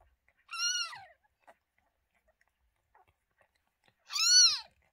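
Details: Newborn litter setting: domestic cat Lola had just given birth to two kittens on 28 May 2023. Two high, clear, arched mews with rich harmonics, the second about three and a half seconds after the first, in a quiet indoor room.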